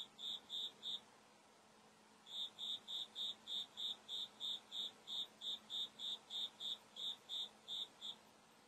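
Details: Cricket calling inside a room while a white cat named Yuki watches and listens; clear high pulsed chirps repeated about three times a second, a short burst, a pause of over a second, then a long steady run.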